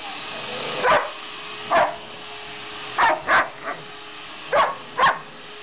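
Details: Pet dog Sasha reacting to a vacuum cleaner with short, sharp barks, six or so irregularly spaced, some in quick pairs, against a low continuous mechanical hum.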